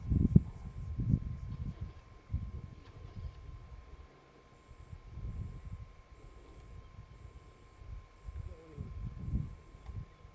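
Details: Casper the white lion with his brothers Mfowethu, Casanova and Footloose, the Shish Brothers, west of Nsemani Dam on the H7 in Kruger National Park, South Africa: deep grunting pulses at widening intervals fade away, with pulsing insects high above.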